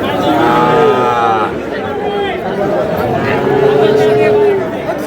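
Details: At a Madaripur market in Bangladesh on 28 April, tiny bull calves call twice: a brief bending moo, then a longer steady one. Traders' voices fill the background.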